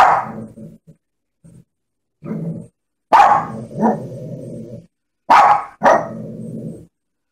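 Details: Barking Shih Tzu mixing sharp high barks with low, rough growl-like sounds, in irregular bursts with short silent gaps between them.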